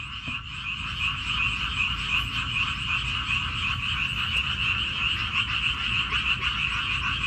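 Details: Frogs on Wolmi Island, Incheon, croak in a dense, steady chorus of high, rapidly pulsing trills.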